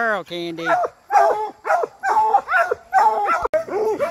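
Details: Bluetick and black and tan coonhounds training on raccoons give a steady opening note, then regular bawling bays about every half second, each bending up and down, with brief gaps between.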